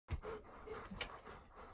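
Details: Ten-year-old Golden Retriever walking toward a field, giving a short burst of soft, breathy panting, a few quick huffs over a low outdoor rumble.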